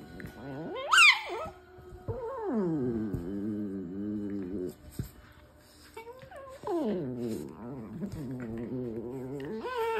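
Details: A pet dog makes funny noises: drawn-out, wavering howl-like whines with a rich harmonic tone, one sharp high rising squeal near the start, then long falling and rising moans indoors.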